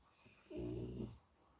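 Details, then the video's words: Dog snoring: a single short, low rumbling breath lasting about two-thirds of a second, with a faint hiss above, in a quiet room. "Dog Snoring"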